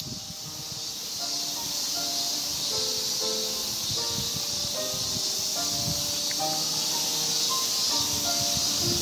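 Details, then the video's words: Male ming-ming cicada (Hyalessa maculaticollis) singing loudly from a cherry tree trunk to attract a female, early August 2018, Japan: a steady, high, hissing buzz runs throughout, while clear piano notes from neighbourhood practice play underneath. "Ming-ming Cicada Sings to the Accompaniment of Piano ミンミンゼミ♂がピアノと共演♪"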